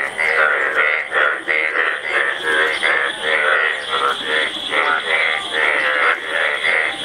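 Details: Massed Indian bullfrog breeding chorus at a shared mating ground, many pairs present and males competing; loud continuous layered croaks, each note buzzy and harmonic, repeating in quick uneven bursts with no pause throughout.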